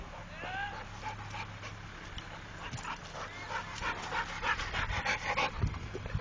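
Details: Trained Pit Bull named Rako panting in quick, breathy bursts, about three per second, growing louder toward the end, with a few faint whines near the start over steady low background hum.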